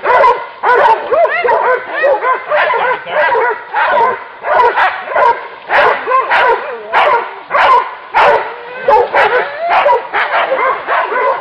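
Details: Pack of hunting dogs baying at a wild boar during a hunt. Rapid, overlapping barks and high yelps come in uneven bursts, roughly one or two per second, loud and continuous throughout.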